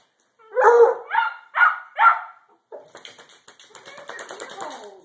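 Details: Playing Redbone Coonhounds, two dogs; four quick, rough barks in a row, about half a second apart, followed by scuffling, panting and play noises.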